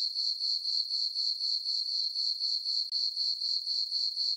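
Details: Crickets on a summer night in a farm meadow beneath a full moon give a shrill, metallic trill in rhythmic bursts around four per second, with one brief dip near the end.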